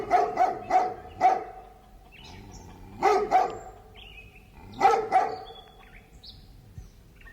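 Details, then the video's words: Large dog barking from afar in a city neighbourhood: bursts of two to four hoarse barks separated by pauses of about two seconds, with thin bird chirps and twitters audible in the gaps. "Distant Large Dog Barking with Residential Charm"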